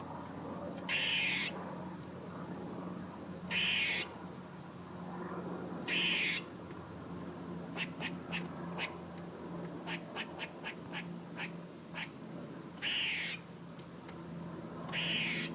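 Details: A squirrel calling repeatedly: rasping, buzzy bursts of about half a second, spaced two to three seconds apart, with a quick series of short sharp chucks in the middle and a steady low hum.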